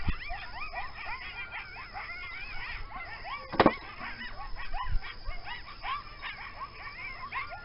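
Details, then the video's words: Several coyotes calling close to a home, rarely seen but often heard: a dense overlapping chorus of high, wavering yips and short quavering howls that rise and fall rapidly throughout, with a sharp knock near the middle. "Coyotes Making Noise"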